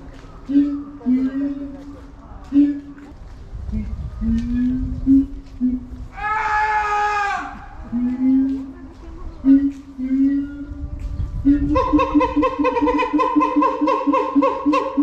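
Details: Captive siamang Keiji calling at Higashiyama Zoo in Nagoya in February 2021, in a very good mood: scattered low hoots, a sudden loud shrill scream midway, then a dense, rapid, harmonic barking series at the end.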